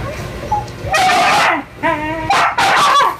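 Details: A young male Siberian Husky gives drawn-out, wavering whines and yelps, desperate to mate with a female husky in heat who refuses him after her first experience.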